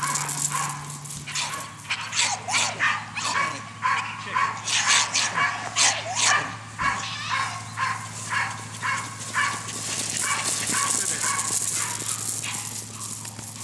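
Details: A dog barks in a quick, uneven series, roughly two sharp barks a second, while a steady low hum runs underneath and a faint hiss rises near the end.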